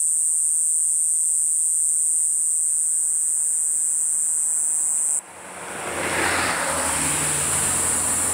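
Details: Kayakiri katydid, a large insect of midsummer nights in grassland, its noisy call rivaling the kutsuwamushi: an unbroken, very high buzzing drone held steady for five seconds, then continuing more faintly under rushing broadband noise after an abrupt cut.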